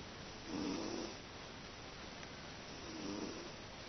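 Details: Sleeping cat Teto gives an old-man-like snore: two gentle, buzzy breaths, the first stronger, the second fainter, separated by a quiet pause, with soft background hiss.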